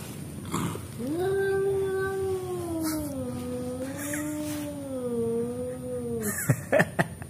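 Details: Fighting cats, including an orange one, in a long wavering yowl lasting about five seconds, its pitch dipping and swelling in slow undulations, with a woman's Indonesian voice and sharp clicks near the end.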